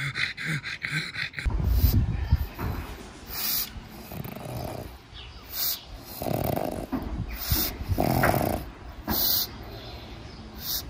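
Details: Pangpang the pug, a pet dog, snorting and snoring during a nap; rough low breathy bursts in an uneven series, some louder noisy huffs rising into a hiss.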